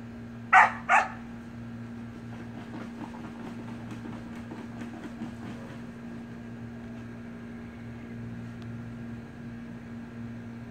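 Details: Samoyed puppy and its siblings playing in a pool: two sharp, loud barks in quick succession right at the start, then a steady low mechanical hum with faint scattered clicks and splashy ticks for the rest.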